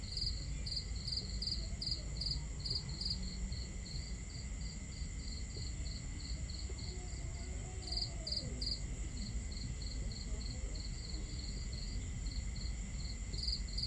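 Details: Night-time crickets at a campsite beneath a starry sky give a steady train of bright, clipped chirps, roughly two per second, with occasional louder clustered bursts, set against a low wash of water and crackling fire.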